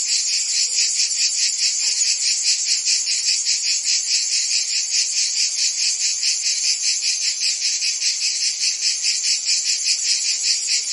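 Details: Dense cricket and insect chorus offered for tinnitus relief and sleep: a steady high-pitched shimmering trill with a soft pulsing beat roughly two to three times a second, continuous throughout, no other sounds.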